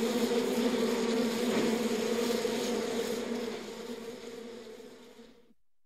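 Honey bees give a steady, low droning hum, the massed buzz of many wings inside a hive.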